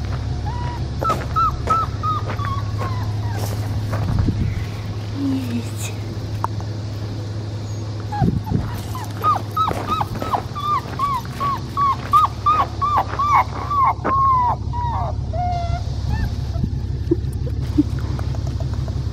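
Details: Blue merle male Australian Shepherd puppy, crying and unhappy after being disturbed while nursing. Bursts of high, short, falling whimpers come in quick runs, with a pause midway, over a steady low hum and a person speaking.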